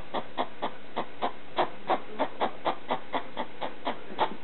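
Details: Pet hedgehog barking at a slipper in the middle of the night: a quick run of short, dry, clicking barks, roughly four each second, steady for several seconds with no other sounds.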